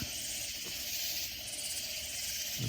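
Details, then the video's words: Loud katydids near San Antonio, Texas, in Hill Country, keep up a continuous shrill, hissing wall of insect sound, with a couple of soft low thumps near the start and end. "Sounds of Loud Katydid Insects"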